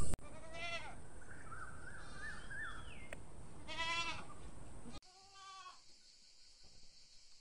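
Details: Goat bleating in a series of wavering, nasal calls, three drawn-out bleats about a second and a half apart over steady background noise, followed by a fainter bleat after a sudden change in the recording.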